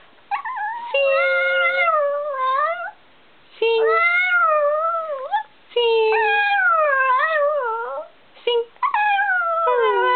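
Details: Chihuahuas dressed in costumes give long, drawn-out whining howls in four bouts, each pitch line wavering, rising and falling with clear overtones, separated by short silent pauses.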